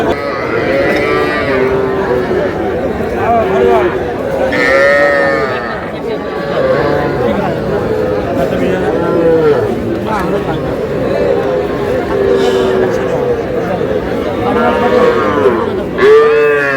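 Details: Young bull and heifer calves at a cattle market in Madaripur, Bangladesh, on 30 June, several giving high, drawn-out wavering moos over and between one another, buried in steady crowd chatter and bargaining voices.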